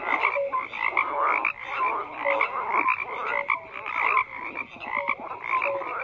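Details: Many frogs croak at once in a thick chorus: grating pulsed calls mixed with short clear notes that repeat about twice a second.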